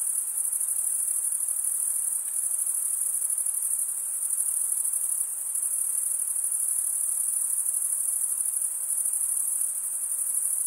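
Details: Stridulating crickets, chiefly males, give a constant high-pitched ringing trill, made by drawing one wing across the comb-like teeth of the other; unchanging texture with tiny fluctuations in volume.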